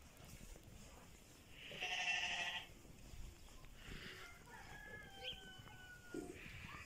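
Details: Lambs offered for sale in Settat province, Morocco, give one loud, wavering bleat of about a second, rich in harmonics, followed by a few fainter calls amid quiet rural background noise.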